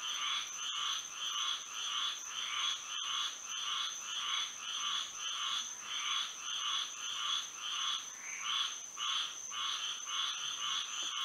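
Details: Florida frogs calling at night in moonlight, a thick chorus of short buzzy croaks repeated in regular bursts about twice a second, layered with a continuous high steady tone in the background.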